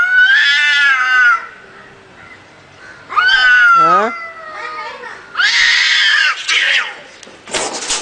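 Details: A cat fight: wavering yowls open the scene, then a sliding wail with a stepped descent, followed by harsh noisy spitting or hissing bursts toward the end.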